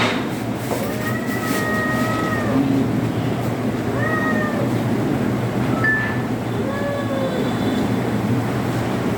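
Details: Domestic cat meowing during an ultrasonography examination: four tonal, drawn-out meows, the first long and level, the later ones shorter with slight rises and dips, over a steady low hum and background music.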